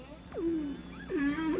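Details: Humpback whale song from a quartet of whales all singing the same song, with tonal units that swoop downward, then hold a steady low moaning note; the song is thought almost certainly part of breeding.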